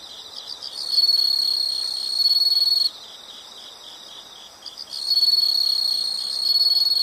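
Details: Two long, loud high buzzing insect trills, about two seconds each, framed by a softer pulsing chirp that keeps a fast even beat in the gap between them.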